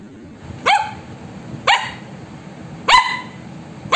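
Three sharp, yappy barks from an Indian Spitz ring out, each a quick bright burst rising at the start. They come at uneven intervals of one to two seconds over a low background hum.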